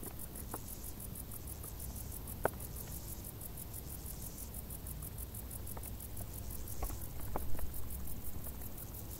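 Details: Crickets chirping in tall grass during a hot summer, a shrill, quickly repeated pulse train holding a steady rhythm, with low rumble beneath, a sharp click near the start and a swell of noise late on.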